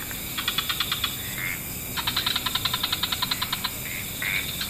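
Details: Frogs chorusing at dusk in wetlands, several species mixed: rapid trains of clicking pulses in bursts of about a second, separated by short rising chirps, over a steady high insect-like hiss.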